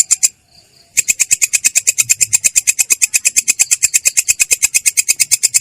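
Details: Belalang kecek katydid giving its ngerol roll, a clear, rough-toned song: a short burst, a pause of under a second, then a rapid, regular run of high buzzy pulses.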